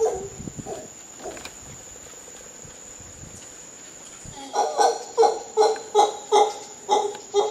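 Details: Howler monkeys in Costa Rica giving a rhythmic series of deep, harmonic grunts, roughly two to three per second, building up after a quieter start, over a steady high insect whine.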